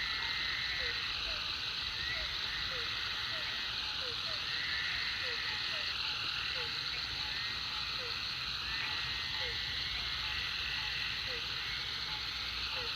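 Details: Chorus of frogs at a pond beside Food Lion following heavy rain, with short downward-sliding croaks repeating every half second, occasional brief trilled bursts higher up, and an unbroken shrill hum of many callers throughout.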